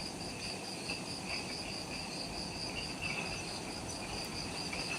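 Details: Jungle insects calling at twilight on Ishigaki Island, Japan, just after sunset; shrill continuous trills stack at several pitches while intermittent pulsing chirps come and go, a faint low forest rumble underneath.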